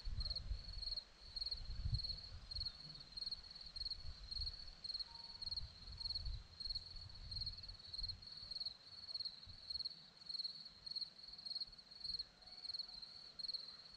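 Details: Crickets on a hillside at Zorlesti, Romania, keep up a high, steady trilled chirping broken into quick regular pulses, over a soft low rumble of wind that fades toward the end.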